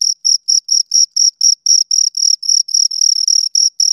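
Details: Shrill chirps from two crickets, about four per second, each short pulse a bright high tone with a faint upper overtone; the chirps lengthen slightly and run closer together toward the end.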